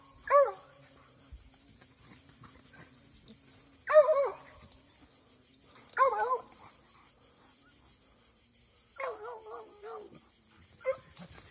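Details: An 8-month-old Plott hound gives sharp, ringing barks every couple of seconds, then a longer, wavering bay.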